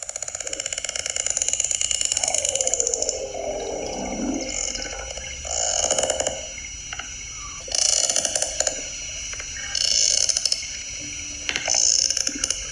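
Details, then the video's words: Sperm whale communicating with clicks, played back during talk of Project CETI using AI to understand whale language; dense ratchet-like click trains come in bursts, crackling and mechanical, with a few tonal smears between them. "do is have Alexis, could you play us a sound cue of a sperm whale communicating?"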